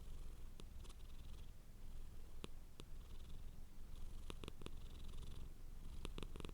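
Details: Close, steady purr from a domestic cat: a low buzzing rumble swelling with each breath, broken by several quick sharp clicks, some in pairs.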